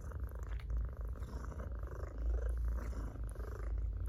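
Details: Loud purr from a house cat being stroked, a dense low vibrating rumble that swells and eases with each breath, steady throughout, light scratching of fingers in fur.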